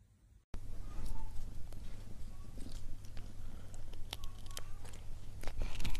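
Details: Cat eating in an ASMR-style recording: after a brief silent start, dense crunching and biting clicks follow irregularly over a steady low hum, with faint quiet tonal traces in between.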